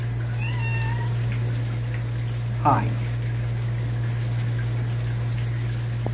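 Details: A kitten reacting to a person in the shower gives a thin, high, slightly rising meow over a steady low rush of running shower water.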